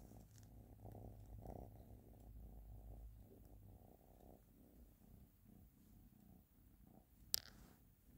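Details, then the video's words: A cat named Ashley purring, a steady low rumbling throb that pulses in long breaths, with one sharp click near the end. "Ashley Is Purring"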